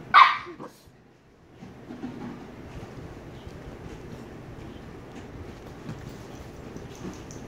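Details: A 114-day-old Shiba Inu puppy lets out one short, bright, sharp bark with a yelping edge, after which the room falls quiet apart from faint rustling.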